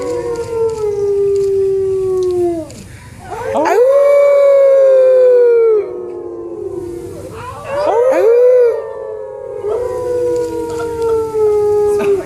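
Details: Howling wolf in captivity at the San Diego Zoo, recorded in 2014: long sliding howls, each swooping up then holding and gently falling, with layered voices overlapping and brief quiet gaps.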